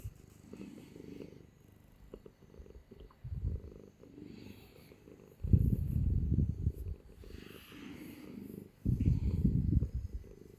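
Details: Clingy pet cat purring while held in someone's arms: a deep, low rumbling purr that swells into louder bursts after about five seconds and again near the end, with quieter stretches between.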